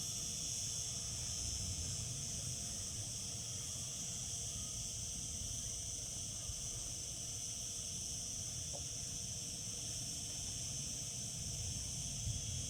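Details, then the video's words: Cicadas in summer keep up a dense, continuous high whine that never pauses, layered in two shrill bands, with low background rumble and a faint brief tick near the end. "Cicada sounds, cicadas singing in summer."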